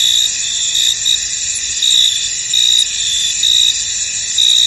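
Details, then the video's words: Many crickets trill together in a misty field, a bright continuous shimmer broken by louder chirp bursts slightly more than once per second. "Tranquil Cricket Sounds In An Misty Field"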